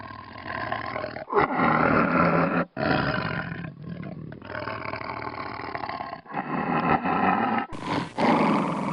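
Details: Tiger roaring: harsh, broadband growling roars in several bouts, broken by abrupt short silences that sound like edit cuts.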